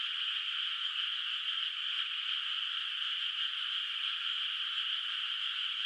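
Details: Night chorus of distant frogs in a moonlit rice field, its water unplanted, in quiet countryside; many voices blend into a constant, unvarying wall of sound without distinct individual calls.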